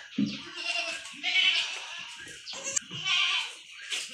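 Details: Goat kids being given iron injections bleat repeatedly: several high, quavering, nasal cries of under a second each in quick irregular succession, with low rustling handling noise and a few murmured words underneath.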